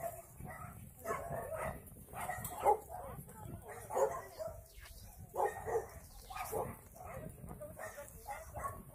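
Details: Dogs at an abandoned-animal shelter in Yangsan, South Korea, during volunteer work, bark in short, irregular bursts roughly every second or two. Faint voices sit underneath the barking.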